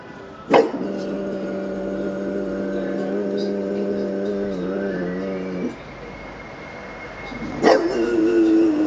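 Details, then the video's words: Pet bulldog howling along with passing sirens: a steady, slightly wavering howl held for about five seconds. A high siren tone sounds in the background, then a sharp knock and a second howl begin. "Homer entrenando su aullido"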